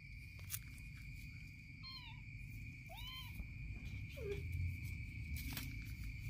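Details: Kitten biting its mother's stomach; three short, arched mews about a second apart, each rising then falling, over a steady low rumble and a constant thin high tone.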